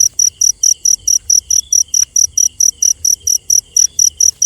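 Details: Cricket at night giving a steady run of short, high, ringing pulses, about four to five a second. A fainter, thinner trill runs in the background, broken by soft clicks.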